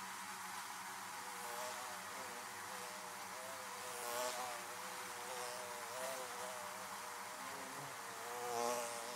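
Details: Continuous hum of bees around their hives, a low droning buzz with wobbling layered tones, brief louder swells as single bees fly near around four and nine seconds.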